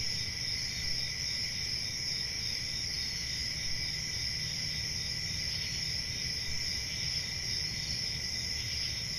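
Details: Night-time forest crickets in summer, many insects trilling together in a constant, even, high-pitched drone with no pauses, a gentle low rumble underneath.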